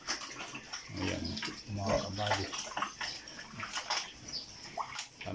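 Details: Two sows give low, deep grunts in short bursts, with splashing, water sounds and a voice mixed in.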